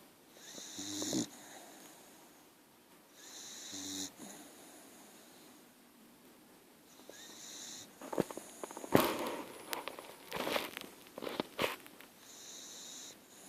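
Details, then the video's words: Archie, a sleeping dog, snores in short wheezy nasal bursts several seconds apart, followed by rustling and shuffling noises. "Archie snoring. .....dog tired!!"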